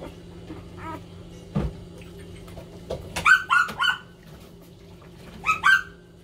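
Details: Loud crying from puppies competing for attention: two short groups of piercing, downward-sliding yelps, three close together and then a pair, over a low steady hum and faint thumps.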